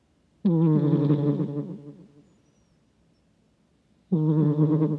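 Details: A domestic cat snoring while asleep, recorded close with a microphone: two long, rough, low rumbling breaths with a steady harmonic buzz, the first fading over nearly two seconds, a quiet gap, then the next snore starting.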